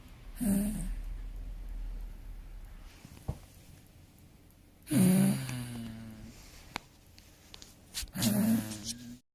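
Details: A dog asleep in a small room snores in slow, irregular bursts, three low, rasping, drawn-out breaths spread over about nine seconds, with faint clicks between them.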